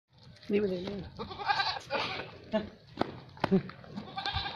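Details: Female Barbari goats, a milk breed, on a farm in Etawah, Uttar Pradesh: one wavering, nasal bleat early on with a few shorter calls, with people talking over it.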